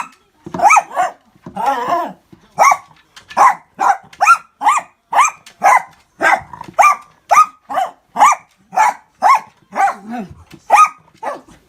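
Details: Miniature Dachshund confronting a fast-food orange juice cup it has never seen, giving rapid, evenly spaced sharp barks, about one and a half per second, with a low growl and a whine near the start.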